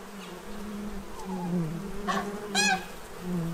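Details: Feeding bees, Central Illinois, stocking up for winter: a constant low buzzing hum, broken by a couple of loud honking calls from farm geese near the end.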